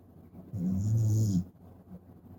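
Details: Sleeping Shiba Inu puppy snoring like an old man, one low, rasping snore lasting about a second, then quiet room.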